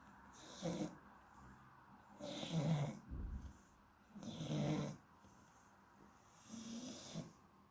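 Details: Sleeping Shar Pei named Yoshi, an 8-year-old rescue, snoring: low rumbling snores about every two seconds, each a rough drawn-out breath, with a soft snort in between.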